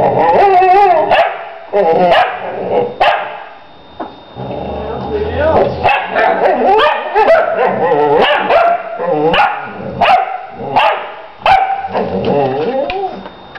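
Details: Two dogs, Lady and her female puppy Ursa, 'conversing' in dog-language: an irregular, lively run of whining, yodel-like moans, sharp yips and short barks, overlapping one another with brief pauses, indoors.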